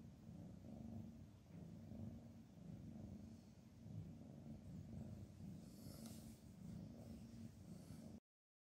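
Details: Two cats asleep with heads touching give a soft, low rumbling purr in slow breathing cycles, with a brief faint rustle near the end before the sound cuts off.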